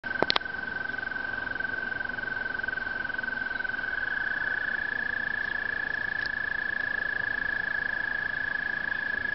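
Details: A toad gives a long, steady, high musical trill that holds one pitch without a break, a breeding call recorded at Brookside Gardens.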